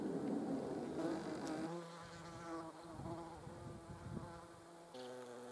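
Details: Yellow jacket wasps recorded on a Sony RX10 III camera: a humming wingbeat buzz, loud and rough at the start, then settling into a steadier drone that dips and rises slightly in pitch.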